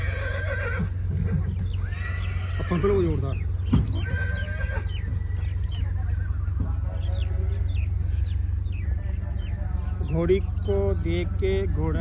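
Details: Nukra horse calling on arrival by truck at the Muktsar Sahib fair, several short quavering neighs scattered through steady low vehicle rumble, with men's voices and crowd chatter throughout.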